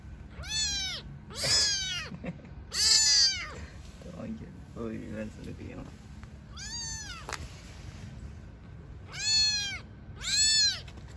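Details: Newborn kittens living outdoors with their mother: loud, insistent, high-pitched mewing in repeated bursts of one to two per second, separated by quiet gaps with a woman's Turkish voice and low murmuring.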